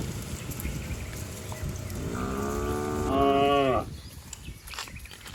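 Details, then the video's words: Cows and bulls racing down a verdant village hillside: one long moo that swells and rises in pitch before stopping abruptly, amid steady scuffling and hoof noise. "suara asli sapi"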